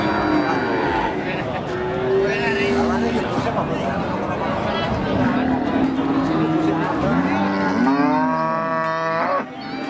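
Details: Limousin cattle at a cattle market in Pati, a female that has calved once; several drawn-out harmonic moos, some rising and falling, overlapping amid steady crowd chatter and a man speaking nearby.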